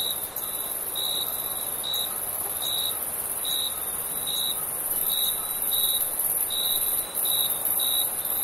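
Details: Crickets calling in the summer night, a series of brief high chirps recurring roughly every second above a steady trilling insect background.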